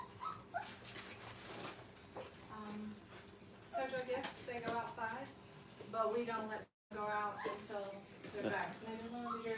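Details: Brittany puppies, five weeks old, at play in a training kennel, giving repeated high whining whimpers in short bursts of wavering tone, with a brief gap in the sound and faint voices and handling noise around them.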